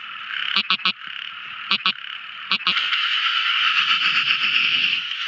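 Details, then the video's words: Tiny frogs calling at night: a few sharp paired clicking notes, then a continuous buzzy chorus swelling and holding steady to the end. "Amazing Sweet Sound Tiny Frog Crying | Never Listening So Beautiful Frog Song! At Night Time!"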